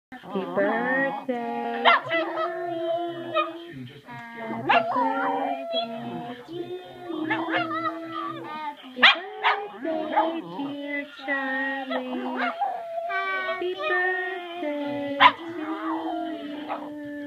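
A Boston Terrier gives drawn-out, wavering howls that rise and fall, blending with the melody. Human voices singing Happy Birthday fill the background throughout.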